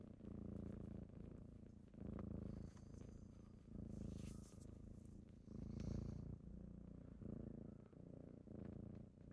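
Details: A kitten's morning purr while waking its owner: a low rumble swelling and fading in slow waves about every two seconds, with faint high-pitched background tones briefly audible.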